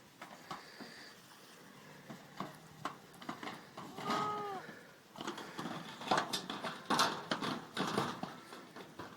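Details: Nine young goat kids playing together in their goat pen; a short wavering bleat rises mid-clip amid hoof patter, knocks and rustling, with quieter bleating later.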